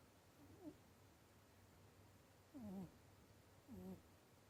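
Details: Pet rabbit kept at home, snoring or breathing heavily while asleep, unusually loud for a rabbit: three short, low, wheezy tones, each falling slightly in pitch, spaced about a second apart over a quiet indoor background.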